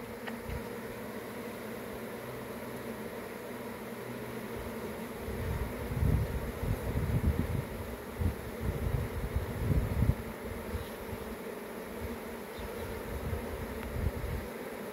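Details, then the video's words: Honey bees in a swarm give a steady buzzing drone. Bursts of low rumbling, like wind or handling, swell in the middle and again near the end. "Honey Bees"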